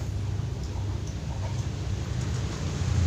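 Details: Only a steady low rumble like an idling engine or wind is heard, with no clear animal call.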